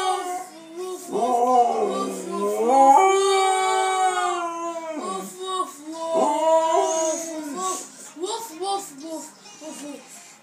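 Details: A Siberian Husky 'talks' with a 10-year-old boy in drawn-out, wavering woo-woo half-howls that slide up and down in pitch. Short yips and the boy's voice break in between the longer phrases.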